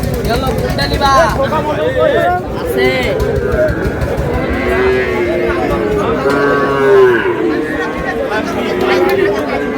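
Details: Sahiwal bull at a livestock market in Chittagong; several long, slightly wavering moos with rising and falling tones sound among loud crowd chatter and men's voices.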